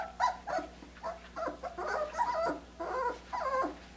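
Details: Three-week-and-five-day-old Australian Shepherd puppies eating their first mush; steady nasal whimpers and grunting squeals repeat roughly twice a second, with soft eating sounds underneath in a small room.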